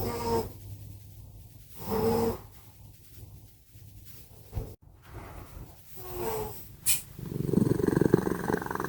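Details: Sleeping house cats Simba and Prissy snore loudly: brief squeaky, whistled snore notes recurring about every two seconds, a sharp click near five seconds, then a harsh rapidly pulsed rumble closing the stretch.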